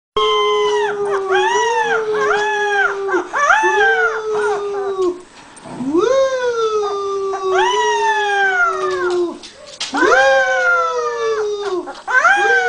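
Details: A puppy being taught to howl by imitating its owner gives long, wavering howls that rise, hold, then sag downward, repeated in drawn-out bouts.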